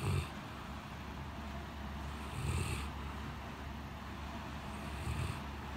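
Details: Blanche, a large white Great Pyrenees, sleeps heavily in a cooled living room on a very hot day after a typhoon. Low rumbling snores, each followed by a breathy hiss, come roughly every two and a half seconds over a steady low hum.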